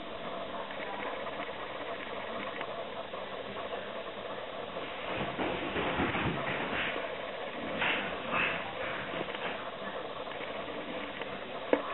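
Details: A steady mechanical hum like an idling engine or sewing machine runs throughout, with faint voices and a few brief bumps. No animal sounds can be picked out.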